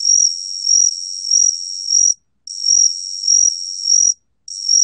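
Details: Gaksi cricket, recorded in 2020 by the National Institute of Biological Resources, giving a high, buzzy continuous trill that throbs louder roughly every 0.6 seconds, interrupted twice by short silences between repeated loops.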